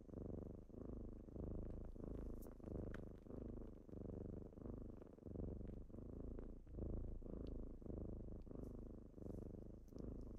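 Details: A morning wake-up by kittens, purring steadily: rhythmic low rumbling pulses, in and out with breathing, sustained throughout with slight soft rustling.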